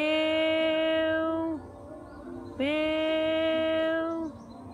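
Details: Two long plaintive meows from a sad cat, each steady and level before dropping off, separated by a short quiet gap.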